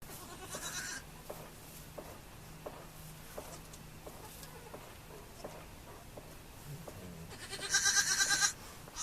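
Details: Baby goats bleat in two loud, high, nasal bursts, one near the start and one near the end, with quieter ticking and rustling between them.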